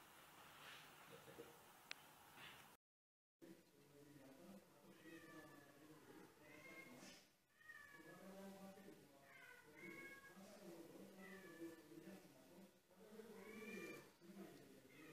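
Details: Kittens climbing stairs, calling with many overlapping thin high meows, each rising then falling, repeated almost continuously over a steady background hiss with a brief gap.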